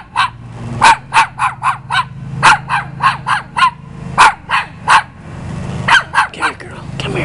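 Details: A dog paying a visit barks in rapid, evenly spaced runs of sharp barks, pausing briefly between runs, with a soft low hum underneath.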